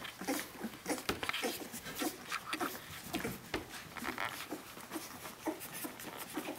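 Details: Seventeen-day-old puppies crying for their mother Brenda: brief squeaky whines come in quick succession, several pups overlapping, over shuffling, scraping sounds inside a small room.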